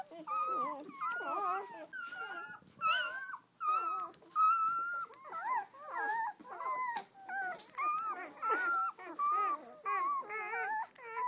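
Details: A litter of red-rust Doberman Pinscher puppies, seven females and four males born 7-12-10, out for their first day: overlapping high, wavering whines and yelps, many pups calling at once in short bursts nearly every second.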